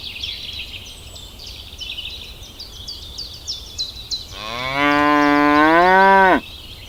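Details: Cow in a field giving one long, level, richly harmonic moo of about two seconds that ends abruptly, preceded by a steady run of high, thin bird chirps.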